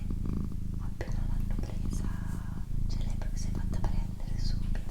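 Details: Purring female pet cat, a constant low rumble pulsing in long breath cycles, heard beneath quiet close whispers and occasional light mouth and handling sounds.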